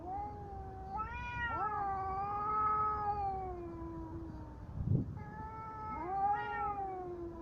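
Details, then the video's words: Fighting cats trade long, moaning yowls. The cries bend upward and then slide slowly down. A brief thump breaks in near the middle before another rising wail begins. "Коты батл."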